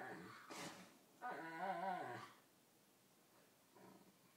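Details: Pet dog playing bitey-face with another dog, giving a playful, ridiculous whale-like serenade: a short wavering, harmonic moaning howl of about one second, with a sharp yip before it and a faint low grumble after, indoors.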